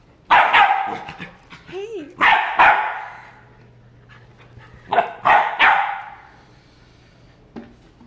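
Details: Playing with her new toy in Miami, Piper the Labrador Retriever lets out bursts of loud, harsh barks, single at first, then a paired burst, and later a quick triple series, separated by quiet pauses with faint background hum.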